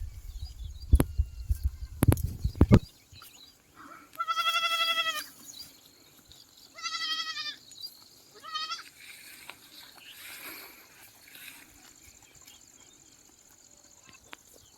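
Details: Goats on a farm in Aherwadi, Purna taluka, Parbhani district: three loud, wavering bleats with strong harmonics, each about a second long, spaced a few seconds apart, after sharp clattering knocks at the start.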